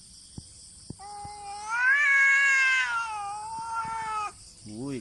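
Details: Fight between two cats, meowing only with no touching: a sustained loud wailing yowl swelling and fading over three seconds, preceded by small clicks and followed by a short rising meow, with a man speaking nearby.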